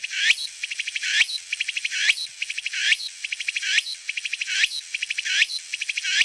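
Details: Walker's cicada (Meimuna opalifera) sings a high, buzzy phrase of rapid pulses, repeated about every second.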